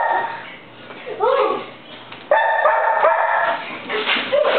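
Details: Millie, an Old English Sheepdog playing tag with her people inside a room, lets out a cluster of bright, ringing barks and yips amid lively chatter and children's shouts.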